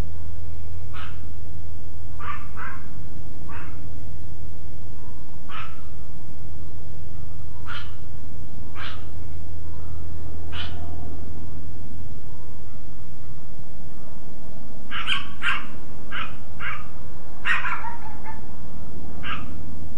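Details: Dogs barking late at night, 11:02 pm on May 30, 2010, picked up from indoors near a window; fainter, spaced barks early on, then a tighter cluster of rapid yaps toward the end, with a constant low background hum.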